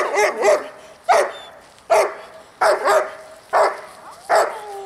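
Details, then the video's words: Dog barking as a distraction during a training session: hoarse, punchy barks, some in quick pairs, repeated roughly every second for about five seconds with short pauses between. "haukkuvan koiran häiriötreeni"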